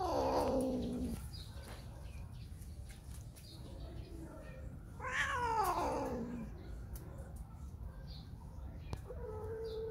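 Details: Spayed female cat Whisky, behaving as if in heat and searching for a mate, lets out two long, drawn-out wails that slide downward in pitch, the second one louder, over a steady low background rumble.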